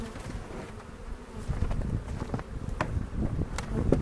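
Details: Steady low hum of a honey bee colony opened for an April 27 inspection near Cochrane, searching for queen cells and making a split; dense droning with rustling and tapping of hive frames.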